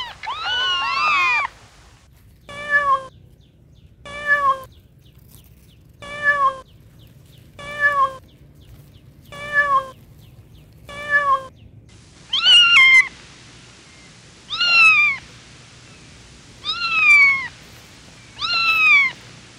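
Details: Playful kittens on farm grass meow repeatedly: one long wavering cry, then evenly spaced short meows about every one and a half seconds, ending with higher, sharply bending kitten meows.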